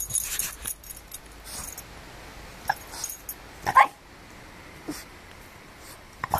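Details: A French Bulldog puppy protecting his garden gives a few short, sharp yapping barks, spaced apart.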